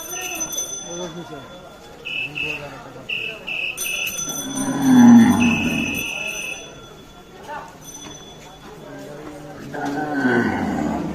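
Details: Cow obtained for Eid and called a crazy cow, heard amid a crowd: one loud, drawn-out, low moo swells midway and fades, while men talk around it and steady electronic beeping tones sound on and off.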